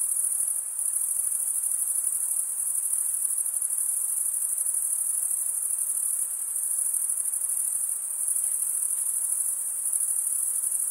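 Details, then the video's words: Crickets chirping at night in a summer forest: a dense, unbroken high-pitched trill that holds steady and shimmering throughout, with no other animals, voices or music. "Pure cricket music for 20 min"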